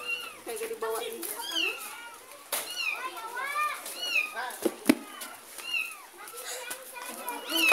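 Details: A cat and kitten, a kitten taken from a neighbour and followed by its mother cat: repeated high, arching meows overlapping one another, rising then falling, with people talking and children's voices throughout.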